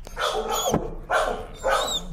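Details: A timid dog, afraid of the leash and very sensitive to leash pressure, screams in protest during a walk: three loud, harmonic, wavering cries, each about half a second long, separated by short gaps.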